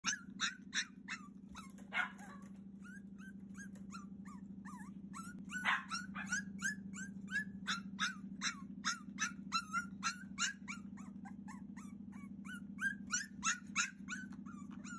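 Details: Cavalier King Charles Spaniel puppy, 42 days old, crying fiercely to be let out, recorded indoors on 30 June 2021: rapid, uneven run of sharp high yelps and whines, about three per second, over a steady low mechanical hum.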